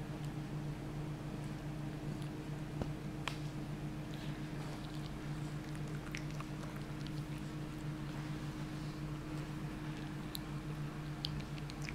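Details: Soft wet chewing and squishing clicks over a steady low electrical hum in a small room, with no animal calls.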